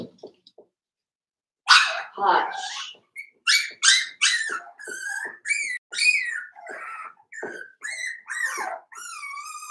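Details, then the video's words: Five-week-old Cavalier King Charles Spaniel puppies in Daisy's indoor puppy pen, making a string of high, wavering whines and yelps that slide up and down, about one every half second, after a quiet start with faint soft thumps. "Cavalier King Charles Spaniel Puppies Livestream"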